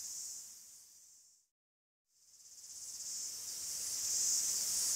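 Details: Greek forest cicadas in chorus, a high shimmering buzz that fades out completely for about half a second, then builds back up and grows louder toward the end.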